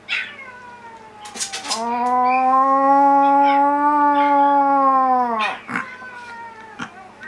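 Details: Older pet dog in a multi-dog household howling back at her younger sister dog's cry: one long, steady, tonal howl of nearly four seconds, flat then dipping at the end, framed by short sharp yelps and clicks.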